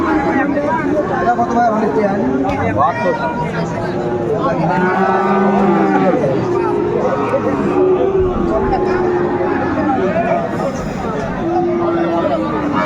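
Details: Sahiwal bull calves at a cattle market near Dhaka, January 2025; many calves lowing together in repeated long, wavering moos over a dense background of traders talking and haggling.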